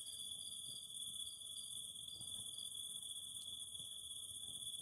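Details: Cicadas singing by a fire: an even, sustained high-pitched whine and an airy hiss above it, a few short pulsed notes, and a soft low rumble throughout.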